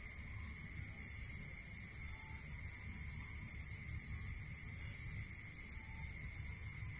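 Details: Crickets at night in a rural setting: fast, regular high-pitched pulse trains, a higher layer nonstop and a lower layer joining after a second and breaking off near the end, with a faint steady tone behind.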